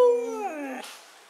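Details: Siberian Husky indoors on a Saturday morning, 'talking' in a short harmonic howl-whine that starts high and steady, then slides downward and fades within about a second, with a little room echo.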